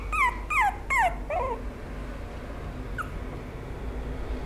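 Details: Chihuahua-Maltese mix dog whimpering indoors: three clear, high, whiny cries falling in pitch in quick succession, then a softer fourth and one brief faint squeak after a pause, over a low steady room hum.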